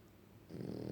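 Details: French Bulldog asleep and snoring: quiet at first, then a rough, buzzing inhaled snore starts halfway through and grows louder, low and rattling with a fast flutter.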